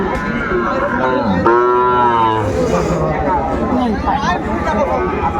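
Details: A deep Sahiwal bull moo sounds from a busy cattle market in Madaripur, Bangladesh, on 10 September 2024. One sustained, rich bellow lasts about a second midway, surrounded by constant talking and crowd noise.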